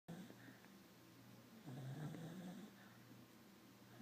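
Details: Dog asleep indoors after a busy week of visiting dogs. It gives one soft, low, rumbling snore breath midway through, amid quiet droning room noise.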